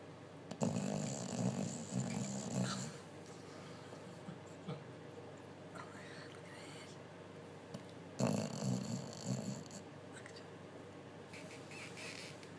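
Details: Betty the bulldog, asleep after a busy day, snores loudly: two long rasping, rumbling snore breaths roughly seven seconds apart, with softer breathing and faint snuffles in between in a quiet indoor setting.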